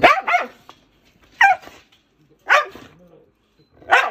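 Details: Aggressive rescued Jindo at Narae-ul Center in Ulsan, a dog known for biting its long-time feeder, gives four loud, harsh barks about a second apart, each a short rough burst, in an otherwise quiet space.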